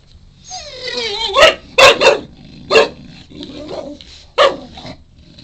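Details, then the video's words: Four-month-old Shar Pei puppy making funny noises while wanting a chew indoors: a falling whine, then short harsh bark-like yaps in quick bursts over roughly four seconds. "funny shar-pei puppy- wants a chewie and making alot of funny noises"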